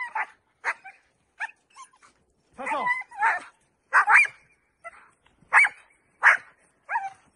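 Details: Dutch Shepherd barking during a training session: sharp, irregularly spaced barks roughly every half second to second, interleaved with brief whines and a rising yelping tone.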